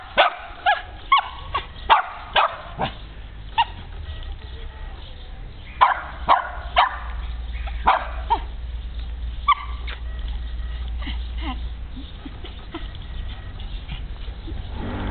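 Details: Puppy barking in a rapid run of sharp yaps for about nine seconds, about two each second, then quieter with only a few soft squeaks over a steady low rumble.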